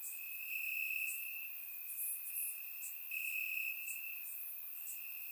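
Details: Crickets on a warm summer night in Bulgaria, chirping in grass and captured by a surround microphone; one bright sustained trill with brighter swells, plus soft high-pitched insect clicks scattered over the top.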